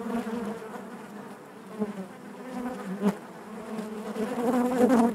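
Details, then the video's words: Low, even drone of a honey bee colony inside the hive, dipping quieter for a moment, then swelling into a louder, brighter buzz at the close, with one crisp click in the middle. "bees therapy hive natural buzzing sound"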